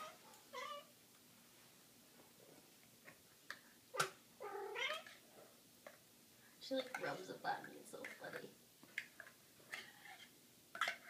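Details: A pet kitten excited over wet food meows eagerly several times, short wavering cries scattered through the clip, mixed with a person talking to her and clattering in a small room.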